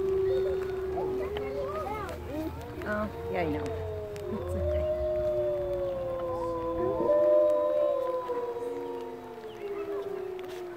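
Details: A zoo wolf pack at Woodland Park Zoo howls together in long, sliding, overlapping tones that rise and fall.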